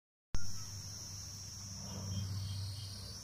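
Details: An insect in the jungle in Nepal gives a steady, high-pitched drone that holds on one note without a break.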